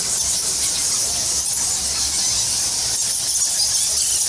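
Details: Masses of bats at Goa Lawah, a Balinese cave temple, produce a relentless, very high, hissing chorus of countless overlapping squeaks.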